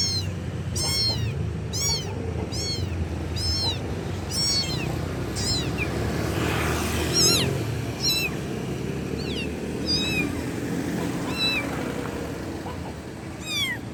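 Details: Loud calls of a kitten seeking its mother, about a dozen high, wavering meows repeated roughly once a second, some rising and falling sharply, set against constant low background hum.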